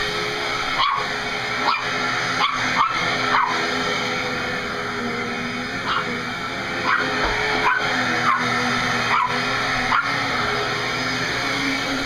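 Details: Dog named Juno confronting a vacuum cleaner, barking at it nonstop: irregular short yapping barks, some in quick pairs, set against the constant heavy whine of the running vacuum.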